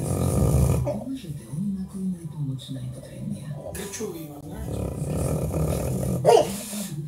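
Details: A bulldog, sleeping and dreaming, gives low, muffled woofs and grunting snorts over heavy, rumbling snoring, with a sharper yip near the end.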